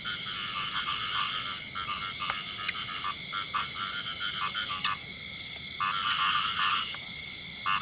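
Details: Singing male frog in a field, giving quick trains of harsh, grating croak pulses in irregular bursts, with a constant shrill whine running underneath throughout.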